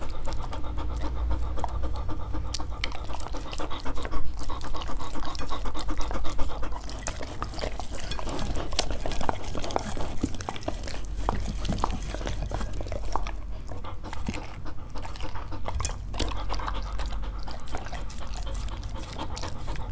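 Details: Dogs trying to eat various fruits, close-up ASMR: rapid, steady panting, about four breaths a second, under continuous wet chewing, licking and mouth clicks, with a low constant hum in the background.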